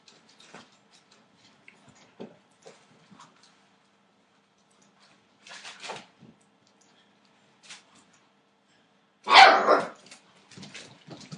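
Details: Entlebucher Mountain Dog puppies, eight weeks old, making scattered short yips and small barks, with one louder burst of barking near the end amid quiet pauses.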